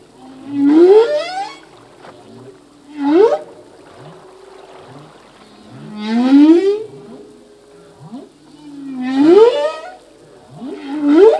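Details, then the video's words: Male humpback whale song, full length, from a song that changes each year with new phrases: rising moaning sweeps with bright harmonics, repeated roughly every three seconds, with low hums and softer grunts between units, no other sounds. "Whale song - full length humpback whale song"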